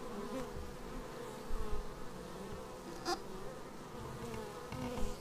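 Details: Bees coming in to their hive, recorded on a Xiaomi Yi action camera: a constant humming swarm buzz, a short crackling tap midway, with several louder close passes.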